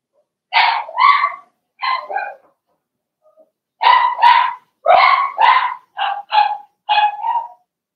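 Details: Young Blenheim Cavalier King Charles Spaniel puppies, part of a litter of six (two girls, four boys) in a home puppy pen during potty training, yap in loud, high paired barks, about nine in quick bursts with short pauses.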